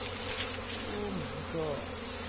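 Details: Honey bees swarming around a comb that is being moved by hand: a continuous low hum, with a person's excited voice cutting through partway.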